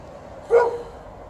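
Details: Wanting a game of fetch, TJ the dog lets out a single clipped, slightly whiny bark at home in poplar fluff season, with faint steady background noise.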